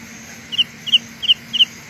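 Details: Carolina ground cricket heard as four evenly spaced high double-pulsed chirps, roughly three per second, against a steady faint background hum.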